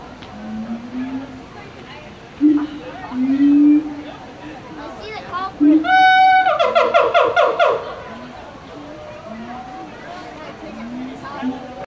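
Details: At Henry Doorly Zoo, a male siamang gives low rising hoots, then a loud, harsh burst of rapid pulsed shrieks.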